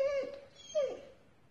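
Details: A 6-month-old Belgian Tervuren puppy gives two thin, high whines, each sliding slightly downward, acting unhappy on command from its owner.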